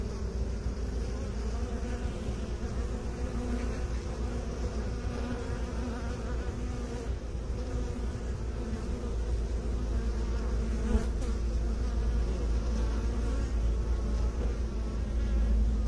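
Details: Continuous low drone of many bees, an even, throbbing hum that holds steady and swells slightly toward the end, with no other distinct sounds.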